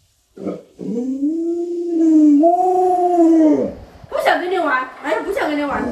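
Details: Luoluo, an Alaskan Malamute kept as a family pet and known for 36 tricks, gives a long, steady, tonal howl that wavers slightly and lifts in pitch midway, then breaks off into shorter, expressive, voice-like yowls.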